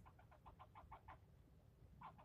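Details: A male squirrel yelling at the person filming, part of a scolding that went on for nearly ten minutes: a rapid run of about seven short, harsh chucks, a brief pause, then three more, over a low background rumble.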